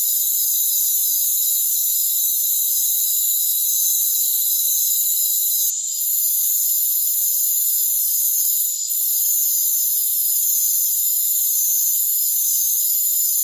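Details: Many crickets calling together in a rainforest. Shrill, constant trilling stacked in several high bands never pauses, dipping only twice for a moment. Nothing is heard at lower pitches.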